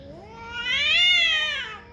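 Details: Single cat yowl, strained and whining, swelling from a low moan to a loud, high, harmonic-rich peak near the middle before fading down again, with a faint background hum.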